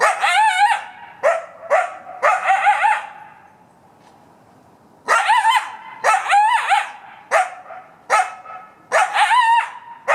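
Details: A male coyote barks almost non-stop in hoarse, wavering short bursts with brief pauses between volleys, about 40 feet into the woods of a city park on a Sunday morning in May; the reason is unknown.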